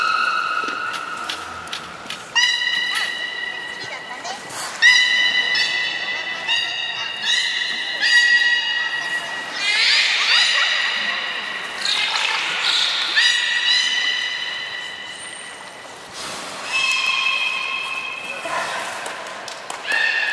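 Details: Belugas Hodoi, Taanya and Mirai during a training session at Port of Nagoya Public Aquarium, 14 September 2019: a run of tonal, harmonic squeals and whistles, some steady, some bending in pitch, with human voices in between.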